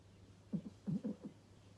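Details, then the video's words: Pangpang, a male pug, indoors: a quick run of four or five short, low snorting grunts within about a second, some doubled, over a steady low electrical hum. "PUG TV LIVE 2021 | Pangpang the Pug"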